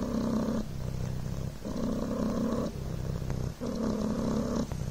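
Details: Devon Rex kitten Coco, lying on a blanket, gives an unbroken low, rattling purr, with breathing audible as alternating louder and softer buzzy phases about every second.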